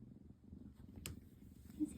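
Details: Pebbles, a tabby kitten and the always-purring mini-me of Chubbs the cat, cuddling happily. A soft, low, steady rumbling purr runs throughout, with a brief click midway and a quiet voice greeting her.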